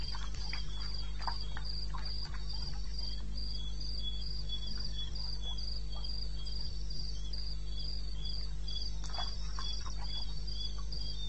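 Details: Wild crickets at night in eastern Botswana, recorded 02:30 on 21 May 2016, keep up a regular high-pitched pulsed chirping, several beats per second, with a constant low background drone and occasional soft clicks.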